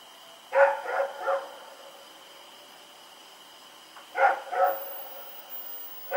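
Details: At night on October 7, 2018, the dog Rex runs about barking: a quick run of three harsh barks, a pause of about three seconds, then two or three more, over a constant tonal hum.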